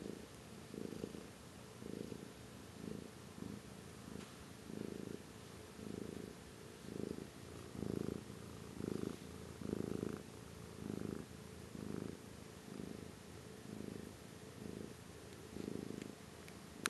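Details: Low rhythmic purring from pet cat Amber, deep rumbling bursts repeating about once a second, growing slightly stronger in the middle, over a faint steady hiss.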